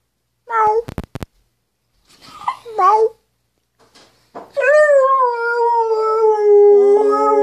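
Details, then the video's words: Airedale Terrier "singing the blues": a few short yelps and clicks at the start, then a sustained howl. The howl holds steady, then drifts slowly downward over the final three seconds. "Airedale singing the blues"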